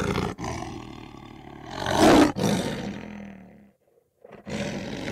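A lion gives a deep, rasping roar that swells to a loud peak and then fades.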